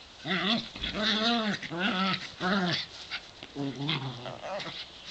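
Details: Two dogs aged 7 and 8, brown and white, at play together in a back yard in the sun; loud, drawn-out harmonic whining yelps, four bending cries in quick succession, each arching up then down, with soft rustling.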